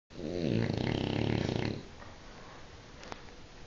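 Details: French Bulldog snoring indoors: one long, loud, rasping snore with a buzzy, harmonic drone lasting almost two seconds, then quiet room tone with a faint click.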